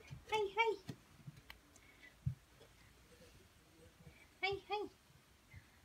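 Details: Mero, a house cat, calls to be played with inside a room. Two quick short meows open the clip. After a quiet stretch with faint speech and clicks, another close pair of brief chirping meows follows.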